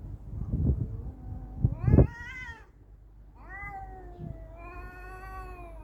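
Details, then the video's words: Cat fight with thumping scuffles and a shrill rising screech near two seconds, then a long sinking yowl that trails away over low rumble. "Cat Fight"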